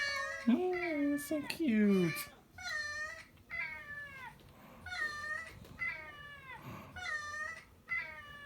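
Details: Pet cat meowing indoors along with played cat sound effects: a run of drawn-out, wavering meows, some low and loud, others higher and repeated about once a second, with a person cooing softly in a small room.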